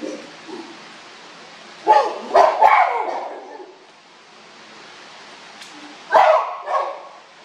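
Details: Chimpanzees at the Los Angeles Zoo during a commotion, recorded on a walkabout on 30 January 2021: loud hoarse barking hoots in bursts near two seconds and again near six seconds, with quieter background murmur between.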